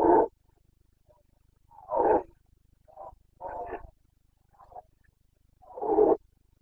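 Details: Red deer stag of the Carpathians in rut, Bucovina, Romania, late September 2022: a series of rough, throaty roars, four strong bellows mixed with a couple of softer grunting calls, spaced irregularly over several seconds.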